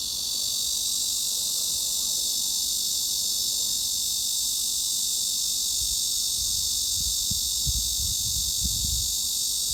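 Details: Cicada song played as a tinnitus masking sound, a dense continuous high buzzing hiss holding level throughout, with soft low thuds and rumbling toward the end.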